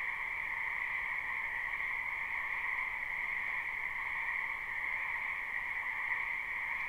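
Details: Continuous croaking from a crowd of frogs in a spring wetland, recorded live without looping: a dense shimmering drone in two pitch bands, level and uninterrupted, with no birds or voices audible.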